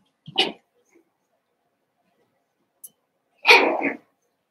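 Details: Seven-week-old Cavalier King Charles Spaniel puppies in an indoor puppy pen at home. Two short, sharp high yips about three seconds apart, the second longer and fuller, with a quiet room around them.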